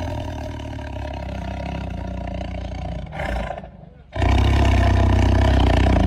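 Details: Tiger growling: a deep, continuous low rumble that drops away briefly after about three seconds, then returns louder and fuller to the end.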